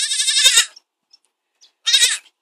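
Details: A baby goat bleats twice, loud and wavering with a harmonic-rich tremolo: one long bleat of about seven tenths of a second, a silent gap, then a shorter second bleat, with no other sounds.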